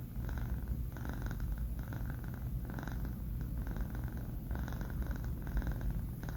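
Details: Sleeping kitten Banh Mi, a male aged four months, snoring at home. A continuous deep rumble carries soft rhythmic breathing bursts that come in clusters, with brief pauses between groups of breaths.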